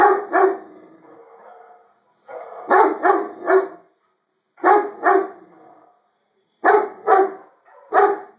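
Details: A Great Dane barks deep, loud barks in quick pairs and triplets with short pauses between bouts, reacting to dogs barking on YouTube while a person repeatedly says "no".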